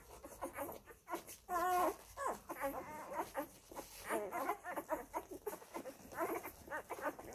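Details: Nursing Labrador Retriever puppies, F litter, feeding at mother Molly's teats. They make scattered short whimpers and squeaky yelps, with a louder wavering cry near two seconds and more bursts later. Soft suckling and shuffling sounds run between them.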